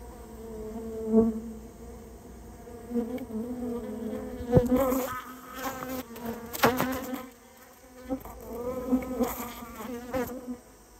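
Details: Japanese honey bees from a colony that nested in a storehouse, being removed on request; loud droning buzz rising and falling in waves, individual bees zooming close past, with occasional knocks and handling noises.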